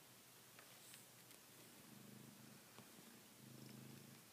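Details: Indoor Savannah cat chewing a blanket it treats like a female cat's neck, purring in steady low pulsing bursts, strongest near the middle and end, with light rustles and a few clicks.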